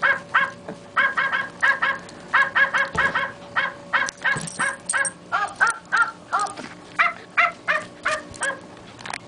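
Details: A wire fox terrier goes after a puppet, barking sharply and continuously, about two to three yaps per second in an uneven rhythm, with an occasional knock underneath.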